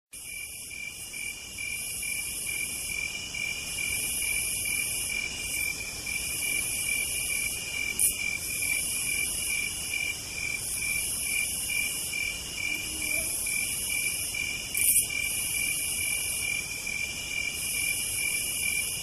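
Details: Cicadas singing on a southern night: high buzzing bursts of about one to two seconds repeat with short gaps over a steady, shrill continuous trill, forming a dense insect chorus with no other clear sounds.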